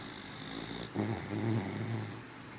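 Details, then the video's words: Boston Terrier and Beagle cross puppy, a very loud snorer, asleep indoors, giving low rough snoring breaths, two or three drawn-out snores over a faint steady background hum. "Sleepy snoring puppy"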